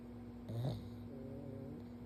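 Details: A pug named Stanley sleeps belly-up while his forehead is stroked; a single short, raspy snort rises then fades, leaving a faint droning hum behind.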